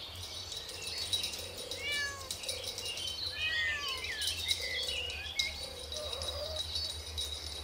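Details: Kittens playing with their mother on green grass outdoors; faint, high, short arched mews scattered through the clip over a steady low hum and busy high chirping in the background.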